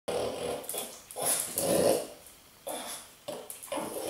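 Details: A French Bulldog, confronting a blueberry, gives throaty grumbles and snorting growls in short bursts, loud and close.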